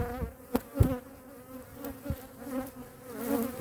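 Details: Honey bees of hive #2 during a winter checkup and feeding, queen in view. A steady low hum with harmonic overtones sits under several sharp knocks and taps from frame handling.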